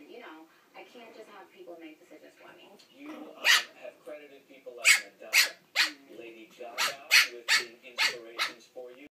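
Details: A Pekingese puppy fighting its own reflection in a mirror gives sharp, high-pitched yapping barks in quick irregular bursts, after softer whines or voices.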